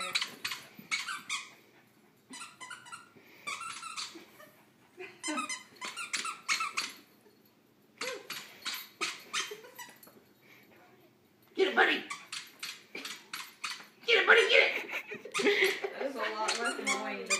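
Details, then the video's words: Four-year-old terrier Buddy, indoors with a squeaky toy clamped in his mouth, eager to bark at and chase a laser; rapid runs of squeaky, muffled yips in bursts, growing louder and denser toward the end, with room echo. "Doggie tries to bark while holding squeek toy in his mouth!"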